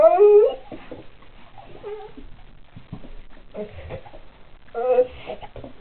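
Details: Pit bull indoors reacting to seeing a dog outside: a short rising-falling whine, then quieter murmuring grumbles and another brief whine near the end.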